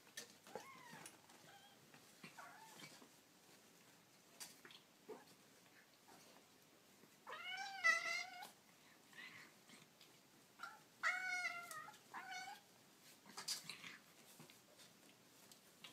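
Kittens give high, thin mews, some rising and falling, with brief quivering clusters of squeaky calls.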